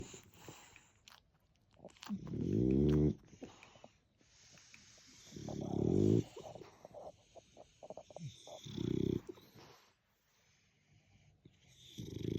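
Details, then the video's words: Sleeping French Bulldog snoring through the day and night: long rough low rasping snores of about one second, repeating every three seconds, with quiet ticking breath sounds and soft snuffles between them. "snoring dogs all day and night"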